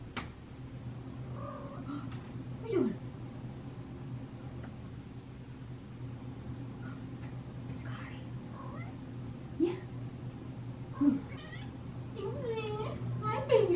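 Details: A pet cat waiting for its owner to get out of the shower gives a few short, rising meows spaced several seconds apart over a steady low hum, with a little human speech.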